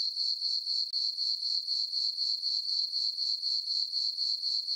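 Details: Crickets chirping on a peaceful summer night in a meadow on a farm under a full moon; steady high-pitched trilling pulsed about four times per second, with no other sounds.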